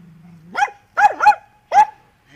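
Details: Andy, a Dachshund, barks while digging: four short, high, sharp yaps in under two seconds, the middle two close together, with a faint low hum before the first.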